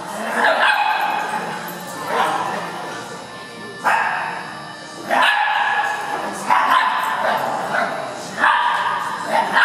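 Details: Indoor dog park play session with foster dog Cisco, Harley, an Italian greyhound and Buster, recorded on a Lumix. About six loud barks at irregular intervals of one to two seconds, each echoing through the large room.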